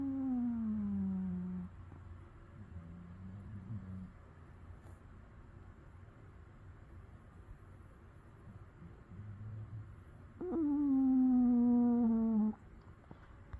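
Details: Rescued from a local shelter, Patterdale Terrier Dougie whimpers in a midday nap: a long moaning whine falling in pitch, soft low murmurs, then a second sustained, gradually descending whine, all in a quiet room.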